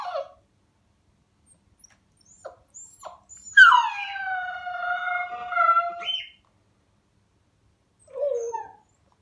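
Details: A 7-week-old Siberian Husky puppy gives her first howl, calling to another dog sniffing behind a door: a high, drawn-out howl that slides down and then holds steady.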